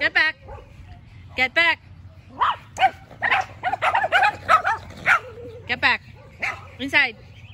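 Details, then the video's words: Yorkie named Macy in a barking battle with two neighbouring dogs; sharp, high, harmonic yaps in clusters, with brief gaps and bursts of several quick barks in a row. "Macy the Yorkie is out for a Battle of the Bark"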